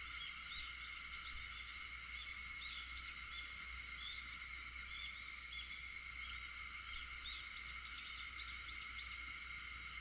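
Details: Dawn chorus of cicadas at 4:50 on August 4: a continuous, even, high metallic buzz filling the whole stretch, with scattered brief faint chirps above it.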